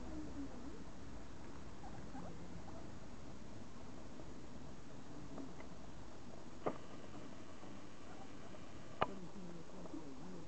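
Guinea pigs scurry and give soft, low murmuring calls amid rustling, with a couple of sharp clicks.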